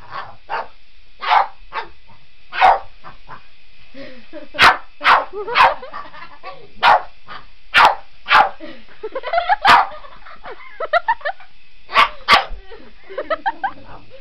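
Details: A Boston Terrier gives sharp, excited barks in quick, irregular bursts as it chases a remote-control helicopter, whose steady, high mechanical whine runs underneath.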